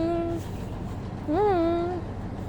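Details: Small cat giving two tonal meows: a short steady one, then a longer call that rises and settles into a held, slightly falling note. Faint background music and low rumble.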